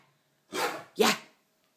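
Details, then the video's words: Male Great Dane barking playfully indoors while attacking a cardboard box: two short, rough, broadband barks about half a second apart, then quiet. "Great Dane barks"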